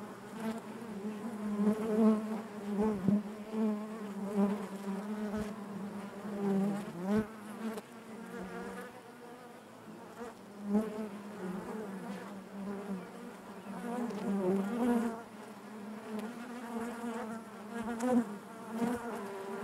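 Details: Many honey bees hum together in their hive, a continuous low buzz with overtones that wavers in pitch and swells in waves, punctuated by occasional faint taps.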